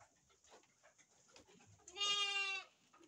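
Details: Farmed sheep at a breeding farm in Indonesia: a single wavering, nasal bleat lasting under a second, rising out of quiet background with faint rustling and clicks.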